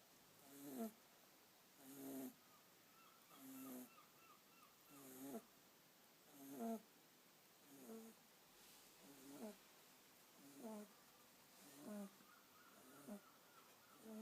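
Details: Kitten asleep, snoring in a regular rhythm of soft wheezy breaths about every one and a half seconds, each with a faint whistling edge, quiet room background.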